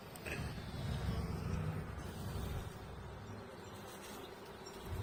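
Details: Honey bee colony opened for a hive inspection seven weeks after a nucleus was installed, with a healthy laying queen and drone brood present. A low, dense droning hum swells over the first two seconds, then eases into a steadier murmur.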